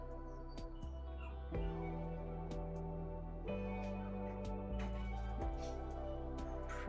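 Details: Gentle instrumental music with sustained, slowly changing tones and soft plucked notes, and no animal sound.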